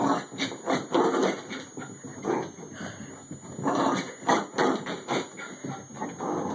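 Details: Fourteen-year-old female Bichon Frise doing the Bichon racetrack, running shortened laps because of her age; dense, rough, noisy grunts and snorts follow one another in quick pulses with hardly a break.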